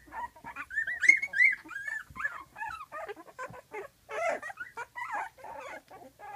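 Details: Several 12-day-old puppies of Flute, eyes opening and starting to walk, whimpering and yelping noisily in the whelping box because their mother is just outside; overlapping high squeaky cries, some rising and falling, from many pups at once.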